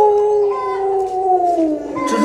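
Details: Luoluo, a pet Alaskan Malamute spoiled by grandma, sings a continuous, rich howl that drifts gradually lower for two seconds and ends with a higher rising note.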